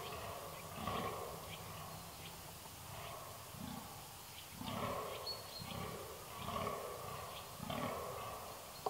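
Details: Red deer recorded 13 October 2019 giving separate deep bellowing roars, each about a second long, spaced one to two seconds apart, hoarse and low-pitched, with a faint sharp click near the end.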